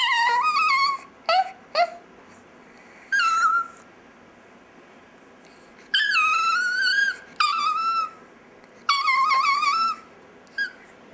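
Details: Dexter the chihuahua "sings" indoors with repeated high, quavering wails and short yips, about one-second phrases rising and bending in pitch, spaced by brief silences.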